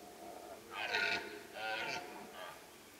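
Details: A deer roaring in the rut at Kopački rit Nature Park, Croatia, a no-hunting reserve where the animals call in early morning and late evening. Two loud, hoarse, harmonic bellows follow close together, then a fainter third.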